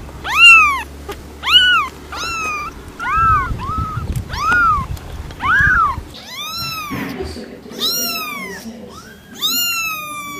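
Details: A cat giving clear, arched meows about once a second, each rising and falling in pitch, some short and clipped, others longer and bright, with a low rumbling background noise in the middle stretch.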